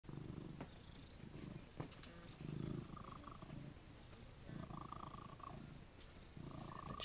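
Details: Domestic cat at a cat sanctuary, a male who loves attention, purring: low rumbling pulses in bursts, with faint soft human speech in the background.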